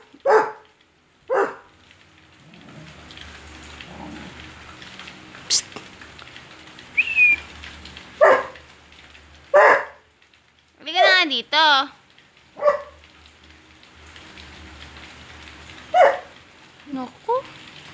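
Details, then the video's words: A pet Basset Hound crying at home: scattered short barks alternate with wavering, quavering whines and a rising-falling yodel-like howl, in irregular bursts with quiet gaps between. "THE CRYING BASSET HOUND!"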